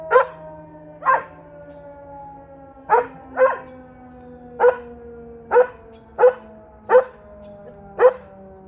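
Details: Brody, a pet dog, howls and barks at a tornado siren; a steady siren tone runs beneath about ten sharp bark bursts spaced roughly a second apart, some stretched into short yowls.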